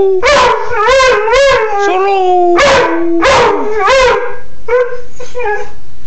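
A Siberian Husky 'sings' in wavering, mid-pitched howls and yodels, broken into short phrases.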